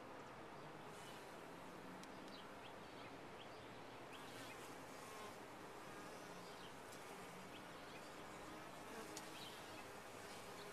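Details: Constant drone of a honey bee colony within a top-bar hive, even, dense buzzing throughout with a few sharp high ticks and one small knock near nine seconds.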